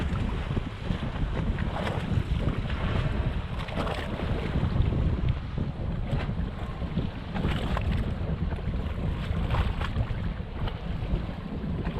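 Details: Boat engine rumble and wind noise dominate during humpback whale watching off the Ogasawara Islands; broadband low rumble with splashing water, no animal voice evident.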